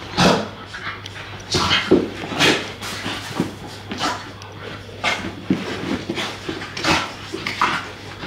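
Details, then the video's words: Two English Staffordshire Bull Terrier puppies at play, chasing each other and tugging on toys; a run of short, noisy yips and grumbly bursts comes in irregular spurts over a steady low hum. "An English Staffies Bond: A Day of Play and Puppy Love!"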